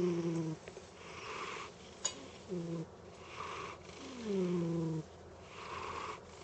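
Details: Domestic cat snoring in its sleep. Three or four breathy snores, each carrying a low, steady hum that slides slightly downward, are separated by short quiet gaps. There is one faint click in the middle.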